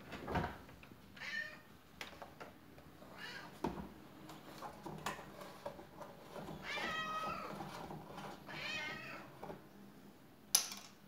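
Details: Faline, a pet cat indoors in a small room during command training, meows repeatedly: drawn-out, harmonic-rich cries rise and fall across the recording, interspersed with soft clicks and thumps from the room.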